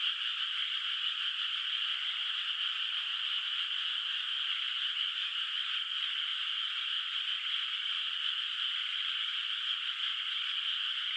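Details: Night in a moonlit countryside rice field, unplanted water surface, where distant frogs form an unbroken, evenly loud chorus of high trilling calls; no birds, wind or voices are heard.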